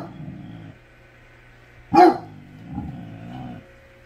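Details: Basset hound giving a single short, loud bark near the two-second mark, with low rumbling growly sounds before and after; speech in the background at the start.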